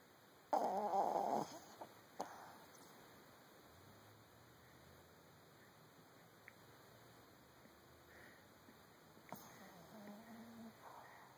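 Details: Boston Terrier snoring: a loud, rough snort-like burst early on and a shorter one soon after, then long quiet breathing with low faint tones, and another brief noisy snore near the end.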